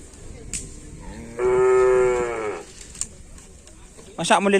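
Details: Madura cattle during karapan sapi bull race training at Asemanis before Ramadan: one steady, strongly harmonic moo lasting about a second, followed by brief noise and a sudden loud burst at the end.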